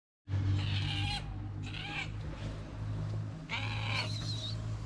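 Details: Frightened kitten in Morocco, taken in by a small shelter for abandoned kittens, mews three times, with each drawn-out, harmonic-rich cry rising then falling. A steady low hum runs underneath throughout.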